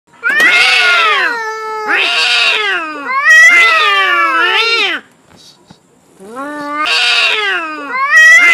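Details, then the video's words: Two cats, a white-grey one and an orange one, angrily fighting over territory: long loud wavering yowls with rich harmonics, rising and falling, overlapping in bouts of one to two seconds with a brief quiet pause midway. "SUARA KUCING BERANTEM"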